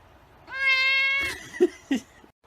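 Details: White cat giving one long, steady, nasal meow lasting under a second, held level then cut off, followed by two short soft chirp-like sounds in a quiet room.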